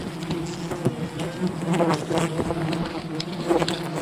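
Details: Wild bees from a colony raided by honey hunters, a loud swarming buzz with a steady low hum and wavering higher tones as individual bees pass close, light tapping and rustling behind.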